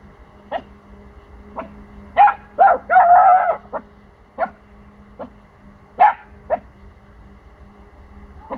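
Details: Pomsky puppy aged four months barking defensively at unfamiliar sounds from the neighbouring house: sharp single barks, then a quick cluster with one longer whining bark, over a steady electrical hum.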